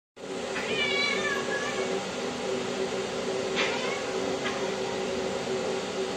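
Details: Pet cats in an afternoon fight at home: a drawn-out, falling meow-like cry early on, then a short sharp burst and a brief later squeak over a steady indoor hum.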